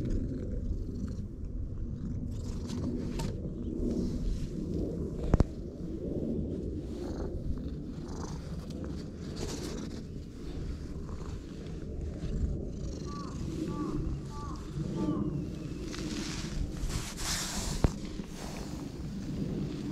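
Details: Continuous low purr from a stray cat that began purring right after meeting someone, the rumble steady for the whole stretch, broken by a few sharp clicks and soft rustles.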